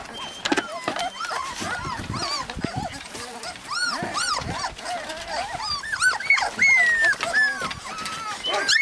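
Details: Many husky puppies in Lapland, Finland, whining and yelping together in a busy chorus of arched, squeaky cries overlapping almost constantly, a few rising to a thin drawn-out whine near the end.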